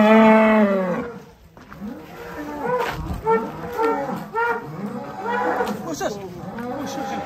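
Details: Large sacrificial cattle being loaded onto a truck in Indonesia in 2022: a loud, long harmonic moo opens, followed by several shorter lowing calls, with people talking and shouting nearby.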